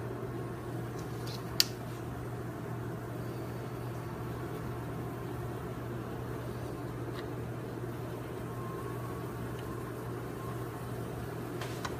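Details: Steady low electrical hum with faint room noise, a single sharp click near the start and a few faint ticks later, with no animal voice.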